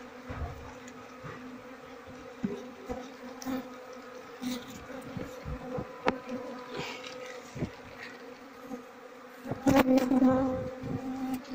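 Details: Asian honey bees, a queenless colony being handled by a beekeeper, honeycomb full of honey and no larvae; steady droning hum with bright harmonic bands, swelling louder near the end, handling knocks throughout.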